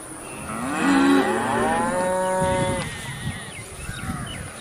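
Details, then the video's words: A cow gives one drawn-out moo that starts low, rises slightly and holds steady before fading, with faint rustling afterwards. "cute cow moo interesting funny cow moo moo sound | cow moo sound effect"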